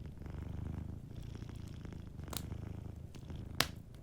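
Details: Sleeping cat purring softly beside a warm fireplace: a low, steady rumble pulsing with each breath, broken by two sharp crackles from the fire.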